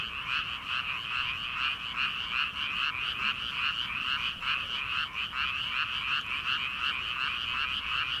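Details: Late-night frog chorus over rice paddies in early summer, before transplanting; continuous rattling croaks pulsed about twice a second from many frogs at once, even and unbroken, with faint low night background.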